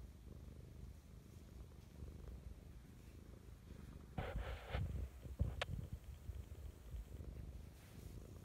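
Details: Mischa the cat purring lovingly in the morning; a low, pulsing rumble broken midway by a brief burst of louder rustling and a sharp click, then the steady purr resumes.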